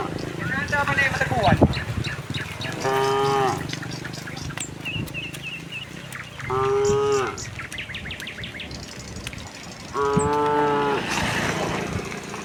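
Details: Morning walk of a tame cow herd toward a vast field, with three clear lowing moos spaced a few seconds apart, steady and harmonic, over soft rustling, faint chirps and a brief murmur of voices.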